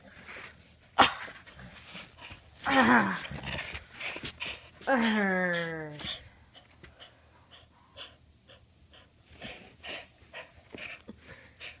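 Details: Pet Border Collie holding onto its ball and 'talking' back, giving a wavering moan followed by a long, clear whine that slides downward in pitch, with a woman speaking softly nearby indoors.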